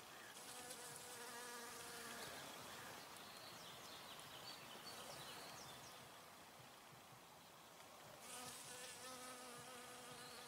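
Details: Buzzing honey bee gathering nectar among flowers: a continuous low hum with layered overtones, strongest at the start and again near the end, set against a constant airy background hiss.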